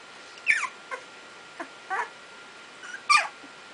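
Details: Two-week-old Icelandic Sheepdog puppies learning to play and bark, giving high, thin yelps and squeaky whimpers that slide downward in pitch, about five short cries scattered across four seconds with quiet gaps between.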